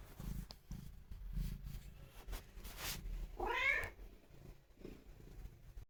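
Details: Affectionate house cat with its owner: soft low purring pulses, then one short rising-falling meow about halfway through, followed by a faint brief sound.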